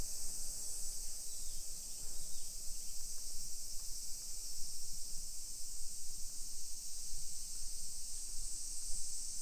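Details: Midday summer cicada chorus, 28 July 2021, in a modern hillside residential area of Nisshin, Aichi Prefecture, Japan: a dense, steady high-pitched sizzle without pauses, backed by a gentle murmur of low outdoor noise.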